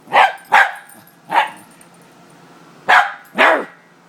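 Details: A Scottish Terrier, a female Scottie, barks in indignation at a Muppet: five sharp, loud barks in two pairs and a single, with short gaps and a longer pause before the last pair.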